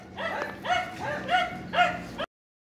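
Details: Red Chow Chow, the Cantonese bear dog, giving four short tonal yelps about half a second apart, each rising then falling with bright ringing harmonics, over a faint low steady hum.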